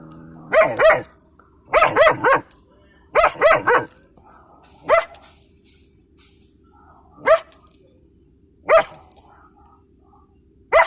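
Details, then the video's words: A German Shepherd puppy sits in a truck waiting in line at a scrapyard, barking at people by the fence: bursts of two or three quick harmonic barks, then single barks every couple of seconds, over low engine rumble. "LOKi the Puppy Barking and Talking in the Truck Today"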